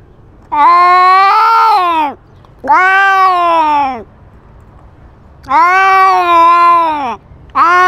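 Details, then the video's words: Cat wearing a GoPro in a territorial fight, asserting dominance: three loud, sustained moaning yowls of about one and a half seconds each, arching up and falling away at the end, with a low background hum between them. "Cat with GoPro fights and asserts dominance"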